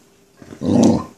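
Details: Chow Chow dog growling at a black ball: one short, rough, low growl lasting about half a second, rising quickly and then fading, in a quiet indoor space.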